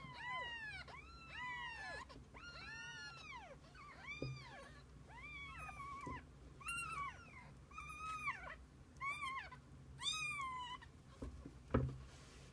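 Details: Mother cat and kittens; repeated bright, arched meows come in quick succession, roughly one every second, some overlapping, with a brief knock near the close.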